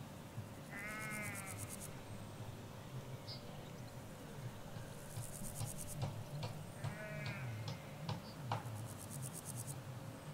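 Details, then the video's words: Ewes and lambs in a Hampshire countryside field, recorded from halfway along a hedge away from the road: two wavering, quavering bleats about six seconds apart over a low rumbling background and bursts of high buzzy trilling. "Sheep Field - One Hour Sound"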